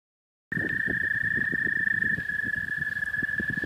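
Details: American toad, possibly, calling in spring in the southern half of the state: one long, steady, high-pitched trill runs unbroken through the recording over low rumbling and thumping background noise.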